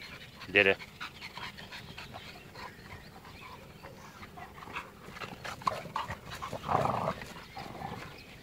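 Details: Dog, one of an American Bulldog, French Bulldog and Bull Terrier, giving a short harmonic yelp-like bark early on and a second louder burst near the end, while a person repeatedly calls words to it over faint background noise.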